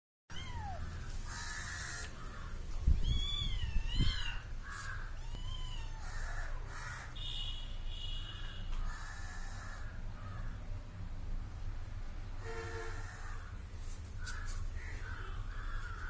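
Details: Little kitten following a person, calling with several short high mews that rise and fall, some quick and overlapping, over a steady low hum and background noise.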